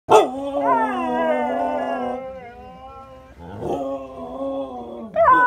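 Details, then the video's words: Pet Siberian Huskies in their daily talk with each other: drawn-out, wavering, moaning howls that start with a sharp yelp, sag, then rise again, with one voice ending and another beginning. "Siberian Huskies talking!"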